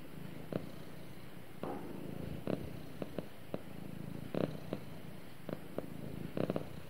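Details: Domestic cat purring while snuggling with its owner indoors: a steady low rumbling drone throughout, broken by short brighter rustling bursts at irregular intervals.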